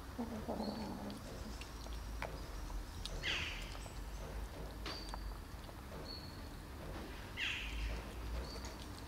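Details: Hungry kittens eating, three of them with one greedy black kitten; two thin downward-sliding mews about four seconds apart, over low rustling and scattered clicks.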